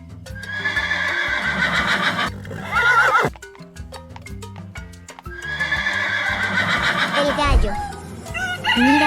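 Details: Horse whinnying twice, a shaky harmonic call that falls in pitch, set against steady background music with a rhythmic beat throughout.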